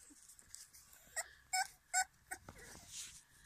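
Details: French Bulldog puppies out in the yard for the first time, giving short high whimpers and squeaks, a few louder yelps around the middle, over a steady background hiss.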